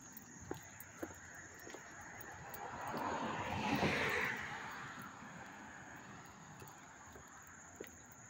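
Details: Crickets keep up a steady, high-pitched trill in Hastings-on-Hudson, New York, on 13 August 2024, while a car passes in the background.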